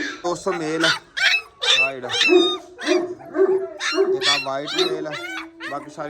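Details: Gultair dogs, a male and a pregnant female, kept at a kennel, give a run of sharp, yelping barks with rising and falling harmonic whines between them, about two per second, while a man calls out to them.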